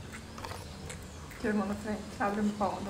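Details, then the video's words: Rottweiler puppies nursing from their black mother, giving short whimpering squeaks in three quick bursts during the second half, over a low background hum. "amamentando filhotes de rottweiler"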